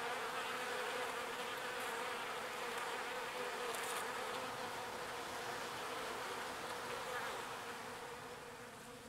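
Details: Pollen-foraging bees flying to and from their hive; a dense, steady buzz of wings holds throughout, then fades a little toward the end.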